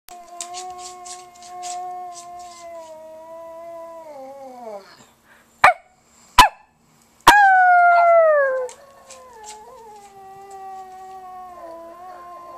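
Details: Pet pug howling: a long steady tone with rich overtones, sliding downward and breaking off after about five seconds, then sharp clicks and a second shorter falling howl, with quiet after.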